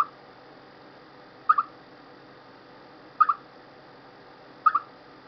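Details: Before stormy weather, a chipmunk gives clipped two-note chirps at fairly even intervals of roughly one and a half seconds. A faint constant background hiss runs underneath.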